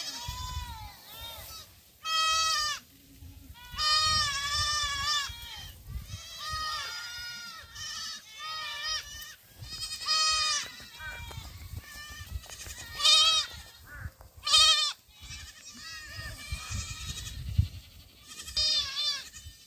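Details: Several young black goats racing about a farm in Gimhae, South Korea, July 2008; a busy chorus of shaky, high bleats, overlapping and repeated in bursts, with trampling and low background rumble.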